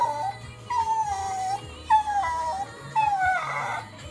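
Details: Miniature Schnauzer whimpering to be taken for a walk, four short descending whines roughly a second apart, partly masked by steady background music.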